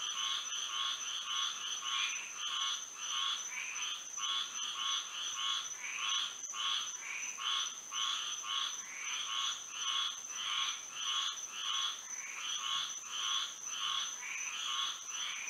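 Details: Under moonlight on a Florida night, many frogs call together, their rasping croaks repeating steadily about every half second, layered with a continuous high-pitched insect hum.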